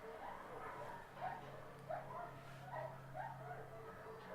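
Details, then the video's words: Crying dog with an embedded collar during its rescue: soft, short whimpering cries come in a loose series, roughly one every half to one second, over a steady low hum. "Crying Dog With Embedded Collar"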